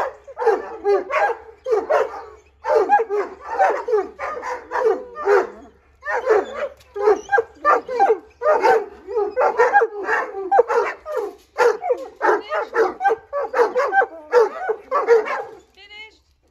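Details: Several Irish Wolfhounds, with puppies joining in, howling for walkies: a loud, continuous chorus of wavering, overlapping yowls and yips in the mid range, rising and falling in rapid bursts with brief pauses, ending in one thin, high final howl.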